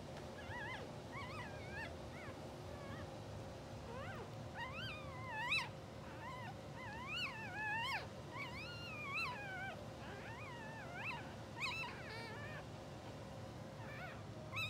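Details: Two-hour-old English Bulldog puppies of a blue sable litter, sleeping and twitching, give scattered thin, wavering whines that rise and fall, several overlapping at times, over a steady low hum.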